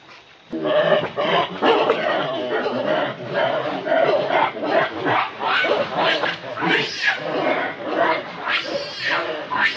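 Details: A hungry baby monkey cries to its mother for milk in a loud, almost continuous run of harmonic wails, each rising and falling, repeated rapidly for nearly ten seconds.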